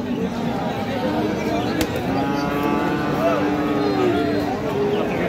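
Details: Friesian and crossbred bull calves at Raniganj cattle market, Dinajpur, recorded 31 July 2025, a Thursday: a long low even moo holds for roughly two seconds midway, set against constant human voices and general market bustle.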